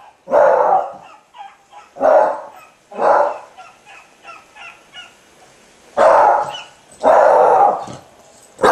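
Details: A Beagle barking: five loud, full barks in two bursts, three close together early on, then a pause before two more, with faint soft noises between.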